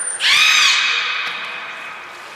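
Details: Beluga in captivity at Port of Nagoya Public Aquarium during a pool move and training session, February 2021: one bright, high squeal rising sharply then held steady with layered overtones, tapering off over two seconds.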